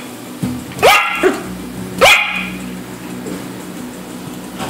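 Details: Yorkshire terrier puppy chasing fish, giving two sharp high-pitched yaps about a second apart over a quiet indoor background.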